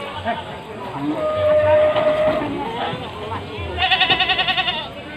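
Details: Goats of Javanese and Etawah breeds crowded on a fully loaded pickup in a market parking lot at Panggul, Trenggalek, Indonesia; a wavering, pulsed bleat near the end, a steady tone earlier, and people talking throughout.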